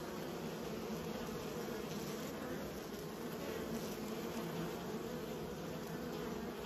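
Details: Dense droning of many kept bees, raised by a beekeeper, forms an unbroken, even hum with no pauses, a low steady tone and a thin high whine in the background.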